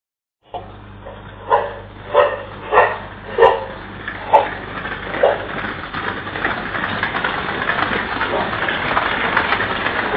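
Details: A dog herding cattle away from a lion on the loose in the streets on the outskirts of Nairobi, Kenya, caught on CCTV: six loud barks spaced under a second apart, then a steady hiss of broadband street noise.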